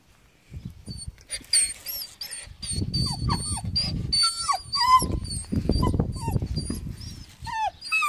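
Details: German Shepherd puppy giving high, wavering whimpers and short yelps that rise and fall, with low rustling and handling noise throughout and brief quiet gaps between bursts.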